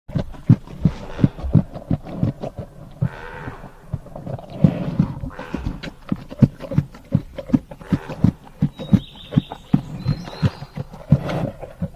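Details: A bear eating grass chews noisily, with wet, crunching bites repeating about three times a second.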